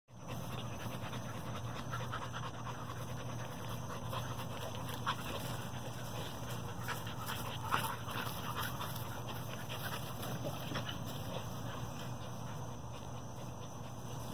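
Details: Triple J's Starr, a 4-month-old American bully puppy, panting steadily throughout: soft, rapid, breathy huffs that run together into a continuous rustling rhythm. A constant high electrical whine sits underneath.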